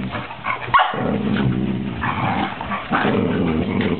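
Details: Two 13-week-old puppies, Luce and Folly, roughhousing: continuous low rumbling growls broken by a single sharp yip, the growling rising and falling in short bursts.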